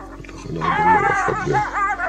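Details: A pair of jackals confronting a caracal: loud, wavering, whining yelps with rich harmonics that rise and fall, bunched into a burst over about a second and a half after a quiet start.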